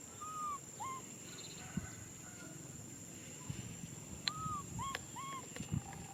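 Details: Young macaque Nui Simon crying for a hug: clear arched whistling cries, some doubled, scattered across the recording, mixed with clicks, knocks and a low steady hum.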